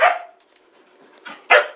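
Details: Pet Siberian Husky, a female demanding attention and objecting to her owner playing a game: a loud bark-like yelp opening the clip, a quieter sound, then a second sharp burst near the end, amid a man's talking indoors.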